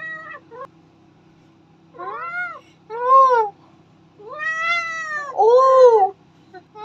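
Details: Domestic cat talking, giving a series of drawn-out harmonic meows, some rising then falling, in a small indoor room with a low steady hum and faint background music.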